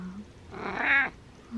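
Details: Male pet cat calling before his meal: a single full meow swelling to a strong, slightly wavering peak and then cutting off, with soft murmuring noises indoors around it.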